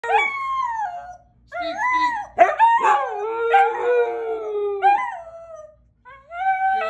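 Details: A young husky learning to howl from an older dog gives drawn-out, wavering notes that slide downward, broken by brief yodelling yelps.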